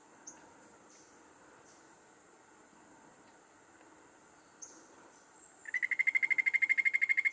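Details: Golden poison frog, a critically endangered Colombian poison frog, recorded during university research at Anchicayá: after quiet forest background with a high insect hiss, a fast, even trill of rapid pulses begins near the end and continues at a steady pitch.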